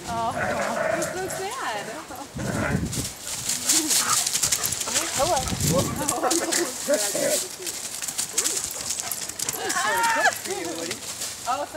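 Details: Dogs Skywalker and Woody play-wrestle outdoors in fallen leaves in Michigan's southwest during warmer weather; repeated bending whines and grumbles scattered through the clip over constant crunching leaf rustle, with some human speech.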